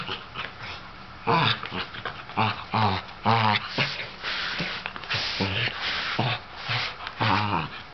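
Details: Wanting to play with a young ginger tabby cat, an older sable Sheltie fires off loud, harmonically rich barks in short groups of two or three, separated by brief quieter gaps of low grumbling.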